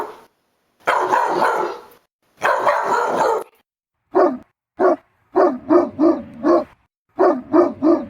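Dogs barking: two long, rough, broad bursts, then a run of short, sharp, repeated barks.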